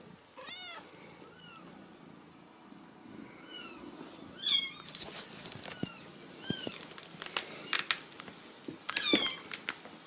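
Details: Ragdoll kittens raised uncaged in a home cattery in central Kansas mew over and over: thin, high, arched cries, some quick and clustered, others spaced a few seconds apart, with soft rustling and thumps underneath.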